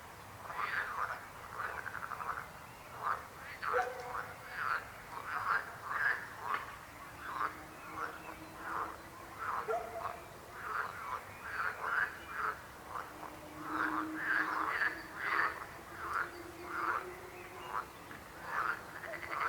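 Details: Croaking frogs in steady chorus: many brief rattling croaks repeated roughly every half second, with a faint low hum running underneath.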